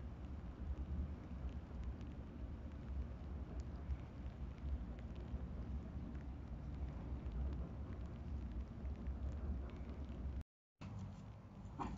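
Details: Steady low rumbling noise like passing traffic or rain, with a brief dropout near the end; no animal sound is heard.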